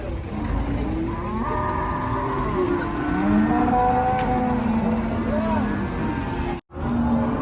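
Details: Cattle at the Karanggede cattle market in Indonesia, newly arrived by truck: low drawn-out moos rising and falling under steady crowd chatter and engine noise, with overlapping calls from several animals.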